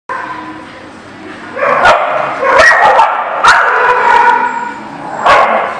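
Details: Dog barking in short, sharp bursts spaced about a second apart, each a harsh broadband bark over a steady mid-pitched murmur of background noise.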